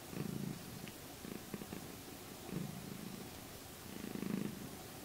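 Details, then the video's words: Gidget, a domestic cat, purring during her morning routine in the spot where she settles every morning; a low, soft rumbling purr swelling in three louder bursts over a few seconds against quiet indoor background hiss. "Gidget the Cat Kitty Morning Routine Prrr Prrr"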